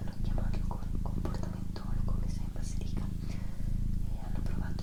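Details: Female pet cat purring indoors as a soft, steady low rumble with a throbbing pulse, while a person whispers softly close by, with faint clicks and mouth sounds over the top.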